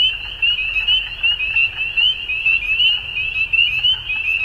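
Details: Many frogs calling together at dusk, forming a dense, ringing high-pitched trill that throbs in loudness every second or so, with occasional sharper chirps above and a quiet low rumble.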